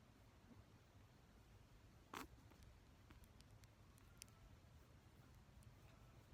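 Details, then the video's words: Guinea pig sneezing: one short, sharp, explosive burst about two seconds in, then faint scattered clicks and ticks over a low steady room hum. "Guinea pig sneezing"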